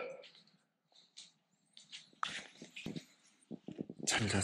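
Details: A Siberian Husky gives short, uneven, talky grumbles and yowls in a small indoor room before dawn, seemingly reluctant to go out for an early-morning walk and wanting to sleep more.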